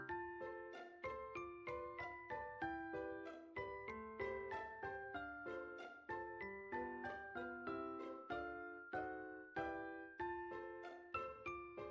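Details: Bright piano melody of repeated, evenly spaced notes plays throughout, with no animal voice heard.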